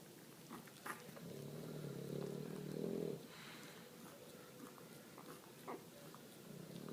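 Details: A mother English Bulldog, tired after a long day, snores while her puppies eat, with a deep, rough, rumbling rasp and small clicking sounds.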